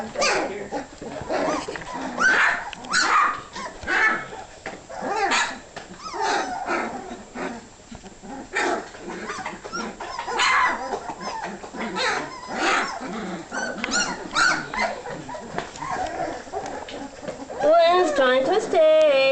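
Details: Hungry puppies waiting for food, a busy litter of squeaky whines and short yelps in rapid bursts, ending with a wavering, drawn-out whimper.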